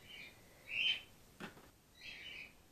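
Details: Grey-headed flying-fox pup Gwickle, a female being support fed in care on her second day; a short high squeak, a soft click, then a longer, fainter squeaky call.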